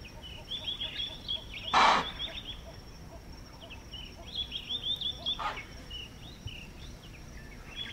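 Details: Impala in the African bush of Manyeleti Game Reserve, South Africa, giving an alarm call on detecting a predator nearby: one loud, explosive chuff near two seconds and a fainter one later, over busy twittering birds and a steady high insect whine.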